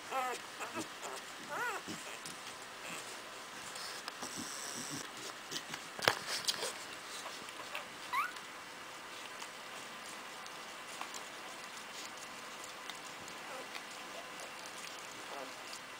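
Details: Cardigan Welsh Corgi puppies, four days old, of the Camelot litter at Fromax Kennel, born January 25th 2011. High, thin squeaks and wavering whines cluster in the opening seconds, with a short rising chirp later over steady hiss and soft rustling.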